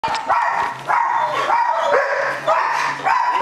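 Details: A German Shepherd on a bungee leash, going crazy with excitement, gives loud, high, whining yelps and barks in bursts, each with a tonal rising-falling whine, about four outbursts over a few seconds.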